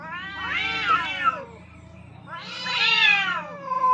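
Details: Two aggressive cats face off on a rooftop, fighting for dominance; two long, arching, harmonic-rich yowls about two seconds apart, each rising then falling, with a low murmuring growl between them.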